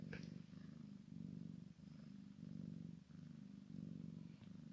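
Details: Kitten and mother Maine Coon x Sphynx cats at play; a low, throbbing purr alternates in roughly half-second surges with short quiet gaps, opening with a brief knock.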